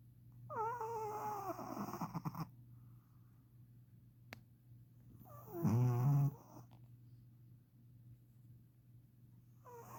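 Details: Sleeping Shih Tzu snoring loudly indoors: two long wheezy snores about five seconds apart, rasping with whistling nasal overtones, the second deeper and louder, and a faint third starting at the end, over a steady low hum.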